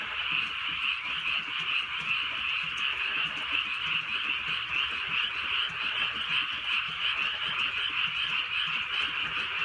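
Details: Frogs croaking through a drizzly rainy night in the Korean countryside, a dense continuous chorus of overlapping rapid calls pulsing about two to three times a second, with soft rain pattering beneath.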